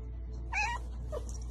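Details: Domestic cat giving a single short meow, rising then levelling with rich harmonics, over steady background music.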